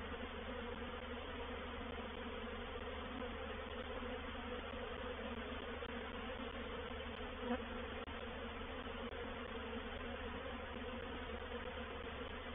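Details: Honey bees of a reproductive swarm entering a bait hive (swarm trap), 04/07/21, Painted Peacock Manor. Thick continuous droning buzz, even in loudness, with a faint tick near the middle.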